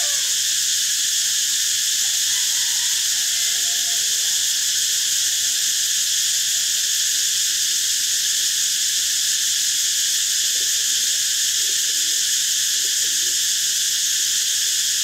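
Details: Unbroken cicada chorus, a dense shrill buzzing drone holding level for the whole stretch, with a few faint, low, soft calls from other animals beneath it.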